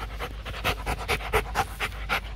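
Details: Male breeding Rottweiler at a kennel in Thúy Lĩnh, Hoàng Mai, Hanoi, recorded three months earlier, panting hard in quick rhythmic breaths, about nine in two and a half seconds, while a man nearby gives sit commands.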